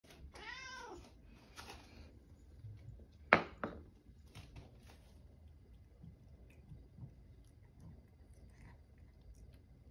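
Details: Siamese cat (Felis catus), meow.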